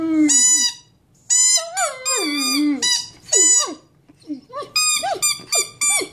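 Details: Big male Mastiff kept as a pet howls his odd song: two long quavering high howls with falling lower tones, then a run of short upward-swooping yips and squeaks.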